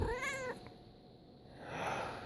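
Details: A pet cat that dislikes sneezing gives a short, bright meow with stacked harmonics that bends slightly downward in the first half-second, then a quiet indoor room hush follows.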